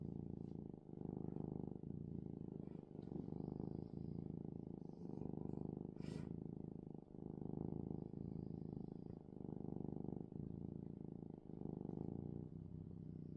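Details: Loud bedtime purring from a contented male house cat: a deep, throbbing rumble rising and falling with each breath about once a second, with a brief faint click midway.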